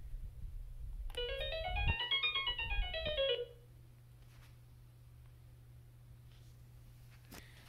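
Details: A rising and falling run of electronic piano-mat notes, then steady low hum in a small room; no animal voice.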